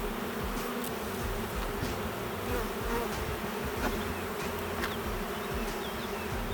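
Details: Honey bees in a queenless, drone-laying hive during an inspection, with frames of honey but no brood. A steady, low, droning hum holds under faint crackling handling noise throughout.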